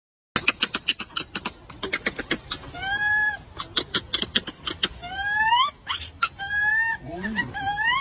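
A monkey gives bursts of sharp clicking chatter broken by rising, squealing cries.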